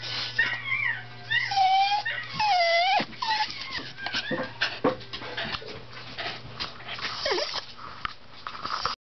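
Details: A singing dog howls and whines in drawn-out, wavering tones that rise and fall, over a steady low hum, as a Wire Fox Terrier listens, unable to find where the singing dog is.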